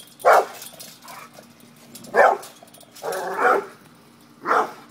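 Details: Pit bull barking while confronting a cat, the dog acting up: four short harsh barks spaced about a second apart, one longer drawn-out bark in the middle, steady low hum underneath.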